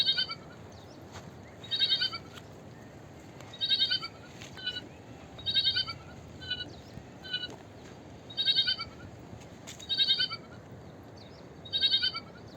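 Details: High, shaky bleats from a small sheep come again and again, long quavering calls about every one and a half to two seconds, mixed with shorter softer ones, over steady hiss.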